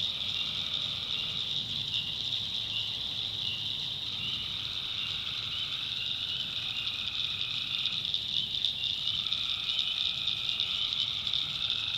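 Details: At night in the North Carolina backwoods, tree frogs give long buzzy trills that overlap and alternate with one another, set against a constant high, ringing swamp chorus.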